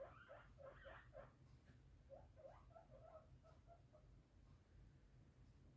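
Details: Pet guinea pigs Violet, an English crested, and Teddy, an American teddy, sharing a home with a Biewer Terrier, make short bursts of soft squeaks in two quick clusters, fading toward the end over a low indoor hum.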